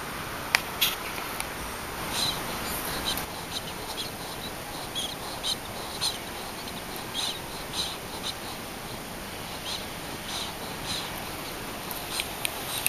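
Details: Pet ferret snorting through its nose while asleep, its breath close to the camera: short, soft, breathy nasal puffs repeated irregularly, roughly every half second to second, over a steady background hiss.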